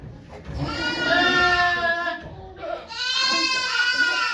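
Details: Two long, drawn-out goat bleats, rich and wavering, with a short break between them, recorded at Yoshigake Farm on 3 May 2023 as Okayu gave birth to two kids among volunteers.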